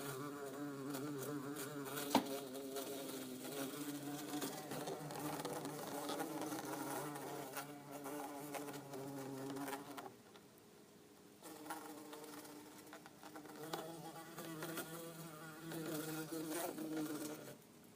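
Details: Two bumblebees, an orange-belted and a yellow-faced bumblebee, in an insect tank give a deep, rich droning wing hum that wavers in pitch as they move, fading briefly midway then returning just as strong.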